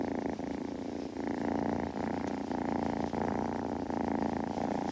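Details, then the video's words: A young kitten purrs during grooming, a dense, even rumble that pulses rapidly and runs without a break, with small clicks and lapping noises scattered through it. "子猫のASMR / グルグル音・毛づくろいの音など"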